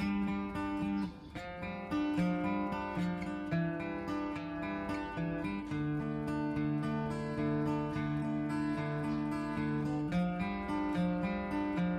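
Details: Strummed acoustic guitar music plays throughout. No animal sound can be picked out.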